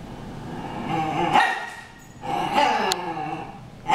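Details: Two dogs named Harry and Ferris in a brawl; harsh barks and snarling bursts come at irregular intervals, each loud burst trailing into growly, voiced sound.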